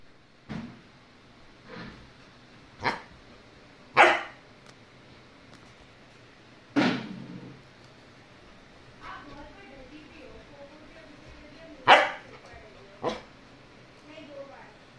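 A Cocker Spaniel gives sharp, single barks at uneven intervals, with a person speaking softly nearby.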